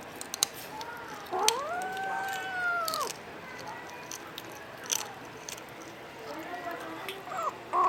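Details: Kitten of the Filipino Puspin type, a Domestic Short Hair, indoors in the Philippines giving one drawn-out arched meow lasting about two seconds, followed by faint softer squeaks and light household noise.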